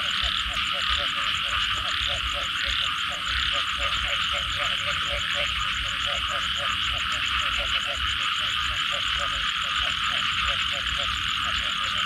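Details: Chorus of frogs after rainfall: quick rhythmic croaks in a continuous pulsing stream, over a constant bright whirring hum from many animals and faint low rumbling.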